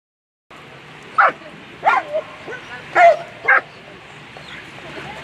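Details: German Shepherd at a world championship agility final, barking in short, sharp bursts: four loud barks spread over about two and a half seconds against a steady background hum of the competition venue.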